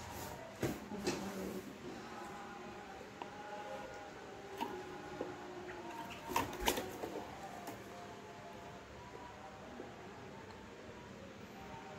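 Indoor room noise with scattered clicks and mechanical knocks, and no clear animal voice.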